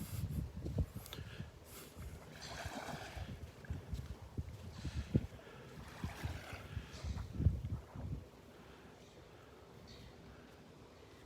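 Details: Low rumbling wind buffeting the microphone and surf-like water noise, with no animal calls.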